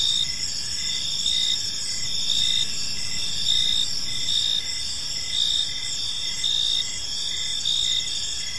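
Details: Crickets chirping in a peaceful park as evening unfolds: a steady, high shimmering trill overlaid with short rhythmic chirps pulsing about once per second, many insects calling together over faint low background noise.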